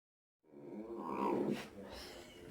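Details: A nearly 19-year-old blind Dachshund, very vocal and communicating with different sounds, gives a low, rumbling, engine-like growl that swells and then sputters in rough bursts, like a motorcycle impersonation.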